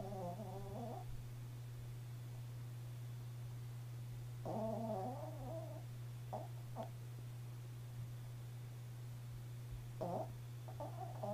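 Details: Pet Chihuahua asleep and just starting to snore: rough, wavering snoring breaths about a second long come at irregular intervals, with brief snorts in between, against a constant low hum.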